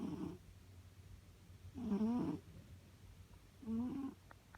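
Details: A cat snoring in its sleep, giving low raspy breaths with a whistling, wavering tone, three snores in under five seconds, a couple of faint clicks at the end, steady low hum behind.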